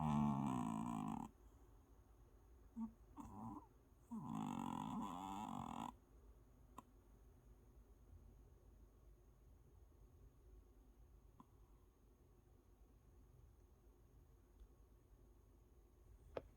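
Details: After a vet trip for its combined vaccine, an adopted former stray dog naps and snores: several low, rough, droning breaths in the first six seconds, followed by near silence indoors.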